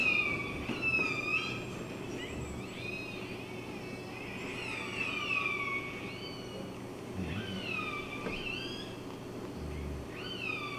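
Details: Killer whales give high, bending, squealing calls over a steady low underwater rumble, in a modelled recording at the entrance to Kitimat where approaching ship noise masks the calls.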